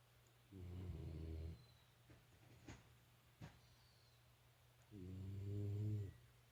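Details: Shiba Inu snoring at home, two low, rumbling snores about four seconds apart, with a steady low hum and quiet room noise between.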